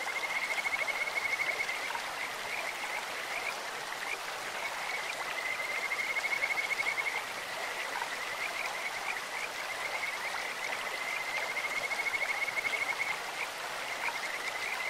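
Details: Kajika frogs calling in a clear stream: three bouts of fast, high, even trills, each lasting one to two seconds and spaced about five seconds apart, over a steady hiss of running water.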